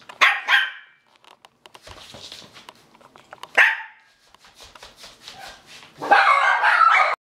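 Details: Havanese puppies in Wisconsin give sharp, high yapping barks, one near the start and another mid-way, ending in a longer noisy burst of barking, with soft clicks and a brief spoken phrase in Spanish.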